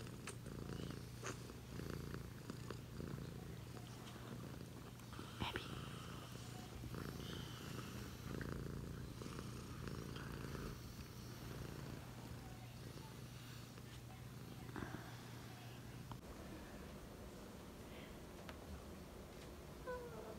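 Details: A pet cat purrs in a deep, even drone that holds steady for about sixteen seconds, then trails off into softer breathy rumbling, with light rustling in the background.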